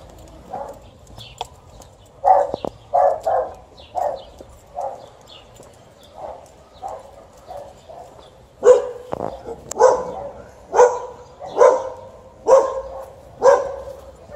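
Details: Alaskan Malamute meeting a couple of angry dogs: scattered, mid-pitched barks in the first half, then a run of louder, sharper barks about once a second toward the end, with faint rustling between them.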